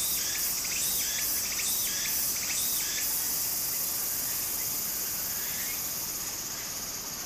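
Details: Cicadas singing in summer beside a stream in Japan: a bright, high buzzing drone with pulsed bursts repeating about three times a second over the first three seconds, plus a lower rhythmic chirping layer and steady water flow.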